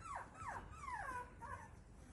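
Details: Whimpering beagle puppies: four clear, drawn-out whines, each sliding downward in pitch, following one another over about two seconds against a soft background hiss.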